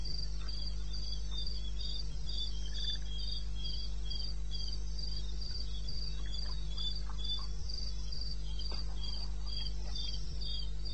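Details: Eastern Botswana wilderness at 2:30 in the morning, 21 May 2016: crickets trill in regular high-pitched beats near four per second, with a second, lower rhythmic voice and a continuous low-pitched hum underneath.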